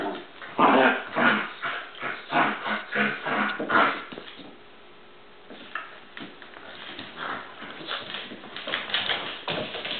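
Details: Two dogs, Bowser and Canela, fighting: rapid bursts of gruff growling and yelping crowd the first four seconds, fall to a quieter lull, then rise again into a run of shorter snarling yips toward the end.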